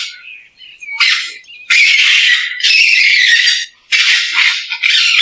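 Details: Raccoon screeching almost nonstop, with long, loud, grating squeals that run together and break only briefly.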